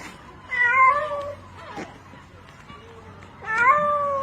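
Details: Cat struggling in water and crying for help while rescuers pull it out with a rope; two loud, bending meows separated by a pause with faint rustling and a short soft call.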